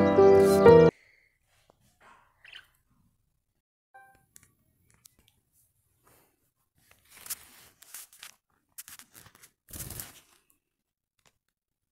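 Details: A brief burst of music, then quiet crunching and rustling with no clear animal voice.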